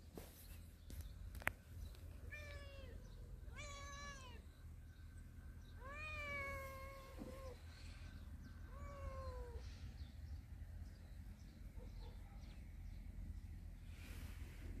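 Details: Cats of a family living in a storehouse, basking in the morning sun, give about four or five drawn-out, falling meows spaced a couple of seconds apart over a steady low hum, with faint chirps in the background.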